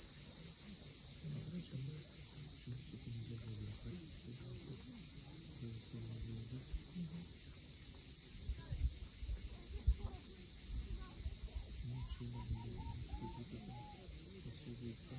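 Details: Sunset on Crimea's steep coast at Cape Fiolent, with cicadas filling the air in a continuous high-pitched buzz; a low rumble runs underneath and a few short bird chirps come near the end.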